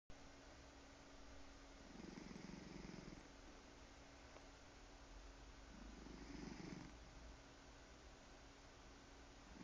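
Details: Cat snoring while purring, a quiet low rumbling purr with two louder breathy snore swells about four seconds apart, steady faint hum underneath.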